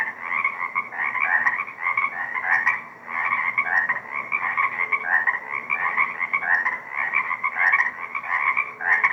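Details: Frog chorus at a small surviving swamp wetland on Deer Lake, recorded 2 April 2024: dense overlapping trilled calls in pulsing bursts, two stacked bands, steady waves of sound every second or so with no other voices.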